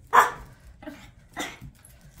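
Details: Puppy playing with an African grey parrot indoors at a grandmother's house, barking at the bird: three short, sharp barks about half a second apart, the first loudest, with quiet room sound between.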